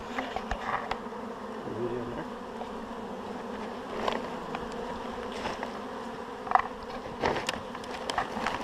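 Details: Swarm of honeybees during a hive shake, the bees walking into the box; continuous droning hum of many bees with a few clicks and a brief low rumble near the start.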